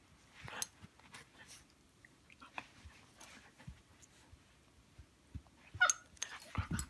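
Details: Two Siberian huskies, an adult and a puppy getting to know each other, possibly play-fighting, trade soft growls, yips and brief whines amid scuffling noises.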